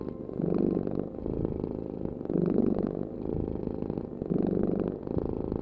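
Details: Domestic cat purring: a low, rumbling, continuous vibration that swells and fades in breathing cycles about every two seconds, with no other sounds.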